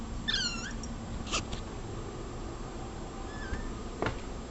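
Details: Cat meowing indoors: a short, high, wavering meow early on, a fainter brief meow later, and a few soft clicks and taps between them against a low steady hum.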